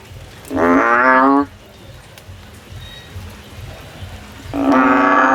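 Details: Frog climbing a tree in search of a way out: two loud, buzzy, bleating calls, one near the start and one at the end, separated by about three seconds of low rumbling background noise.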